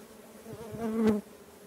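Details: Swarm movement of kept stingless bees at a meliponary, with no speech. Faint background hum, then one bee buzzes close by for under a second, rising in loudness and stopping sharply.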